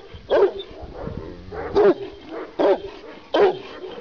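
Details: Kangal shepherd dog from Sivas barking: four loud deep, gruff barks spaced roughly three-quarters of a second apart, with softer grunts between.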